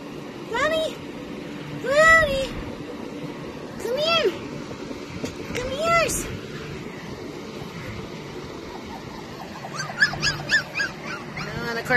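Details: Australian Shepherd puppies at a breeder in Sun City, Arizona, filmed live to show personalities and markings: about four arching high yips two seconds apart, then a faint cluster of squeaks, with a person calling the puppies and a parent dog over.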